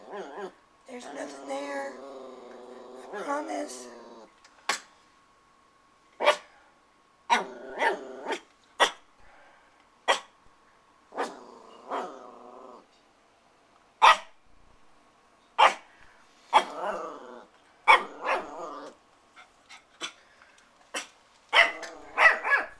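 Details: Christian, a new puppy described as very protective and desperate to play with the household cats, lets out sharp scattered barks and drawn-out growly whines, mixed with human speech and brief music.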